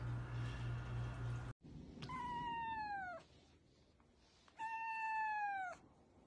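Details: Domestic cat meowing indoors: two drawn-out, clearly harmonic meows, each falling slightly in pitch and lasting about a second, separated by a quiet pause, after a brief burst of low hum at the start.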